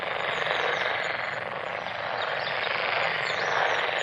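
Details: Massed frog calls forming an unbroken, grating drone that swells slightly toward the end, with occasional high bird notes in the background.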